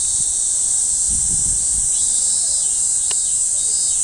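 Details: A cicada sings a loud, steady, high-pitched buzz that holds without a break, recorded on 1 July 2015.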